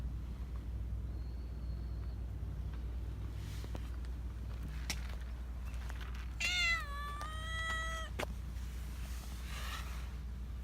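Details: Black Persian cat, described as very vocal, giving one drawn-out, cartoon-like meow with a slightly falling pitch, over a steady low hum.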